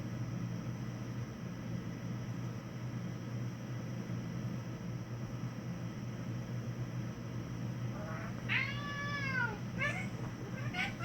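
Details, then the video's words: Domestic cat making unusual noises to escape a looming fight with another cat; a steady low hum fills most of the recording, then a few strained, harmonic wailing meows rise and fall in the final three seconds. "weird cat noises to get out of a fight"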